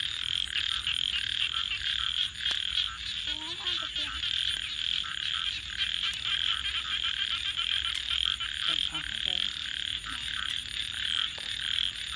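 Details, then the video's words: A nighttime frog chorus by a crackling campfire, with a continuous high, buzzy trilling from many callers. Sharp clicks and crackles punctuate it, and brief lower croaking notes appear around the fourth and ninth seconds. "frogs 🐸 Sounds"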